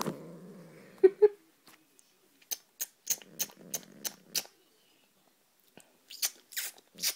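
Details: Grumpy female pet cat that hates kisses and laughs: a low growl with two sharp yowling bursts in the first second, followed by repeated smacking kiss sounds and clicks from a person close by.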